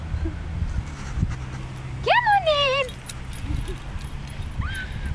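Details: Puppy aged 13 weeks and 3 days, playing with a Jack Russell cross Toy Poodle on their first meeting: a shrill whining yelp sliding downward for under a second, a shorter rising whine later, with a person talking and low background rumble.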